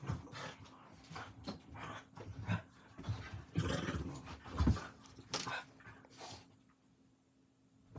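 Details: Pair of dogs, aged seven and five months, roughhousing late at night around 11:40: irregular low growly grumbles and snorts, one louder rumble near the middle, fading to quiet at the end.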